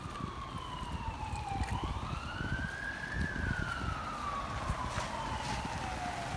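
A wailing siren sweeps slowly down and up over low rumbling noise, with no animal voice.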